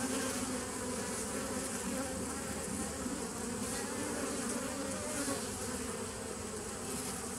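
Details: Bees recorded on 27 September 2018, giving a steady, dense droning hum with a low tonal band beneath a broad hiss, continuous and even in loudness from start to finish, with no other clear sounds.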